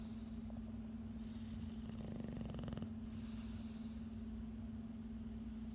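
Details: A tired English Bulldog struggling to stay awake gives a single rattling, pulsed snore over a steady low electrical hum.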